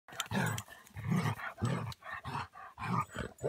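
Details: A ten-year-old Basset Hound romping with another Basset Hound at a dog park gives deep, rough, growly barks in a rapid series of about seven, low and gravelly.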